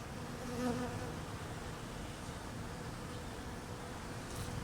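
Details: Honey bees in cold weather, hungry and being fed; a brief droning buzz rises out of a dense, steady low hum about half a second in, then fades back into the continuous background drone.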